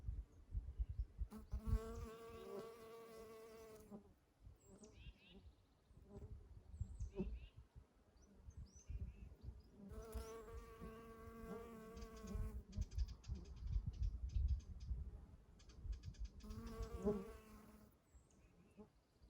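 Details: Honey bees buzz past in loud bursts among Eastern Redbuds in spring, a steady droning hum that swells and fades, with light bird sounds.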